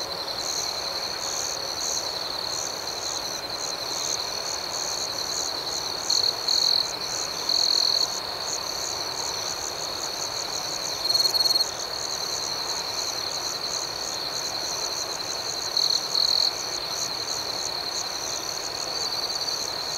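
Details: Nighttime cricket chorus outdoors: a continuous high-pitched buzzing trill with four short, louder bursts of quick pulsed chirps spaced several seconds apart across the twenty seconds.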